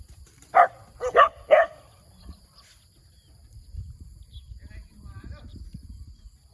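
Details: Morning barking from a cute little dog: three sharp, high barks in quick succession, followed by a low background rumble and faint distant sounds.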